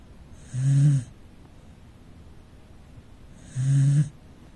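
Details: Sleeping rescue Corgi kept as a family dog, snoring in the living room, two low, throaty snores roughly three seconds apart, each a short rasping rumble followed by near silence.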